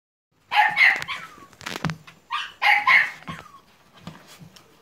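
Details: Staffordshire Bull Terrier puppies, recorded 30.07.2017, give a short burst of high-pitched yapping barks, two quick pairs of sharp yelps separated by a brief pause, with faint rustling in between.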